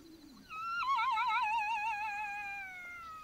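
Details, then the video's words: At night in Botswana, a Black-backed jackal gives a loud wailing howl that starts high, then slides down in a long wavering, quavering tone and trails away. "Jackal Sounds - Howling & barks of Black-backed Jackals at night in Africa"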